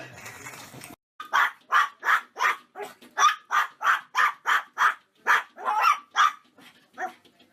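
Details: Domestic dog barking in a quick, steady run of about fourteen mid-pitched barks over six seconds, each short and sharp with brief gaps, one faint bark trailing at the end; a short rustle comes before the barking.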